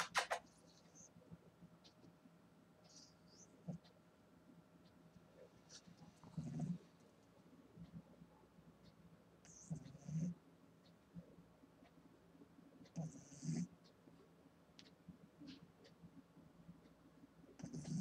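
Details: An 8-week-old female Boston Terrier puppy snores fiercely while asleep, soft low rumbling breaths every few seconds; she also sleeps with her eyes open.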